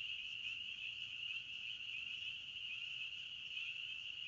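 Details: Crickets in a forest keep up a steady, high-pitched trill that never pauses.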